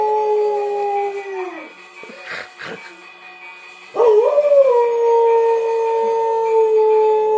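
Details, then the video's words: Czechoslovakian Wolfdog recorded 17 October 2021 howling: a sustained tone ends with a downward slide, a brief pause follows with a few soft noises, then a fresh howl rises sharply and settles into a long steady note. "Howling Czechoslovakian Wolfdog"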